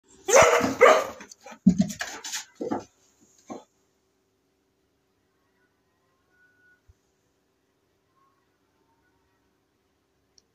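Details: Cocker spaniel giving a quick run of loud, harsh barks in the first few seconds, followed by near silence.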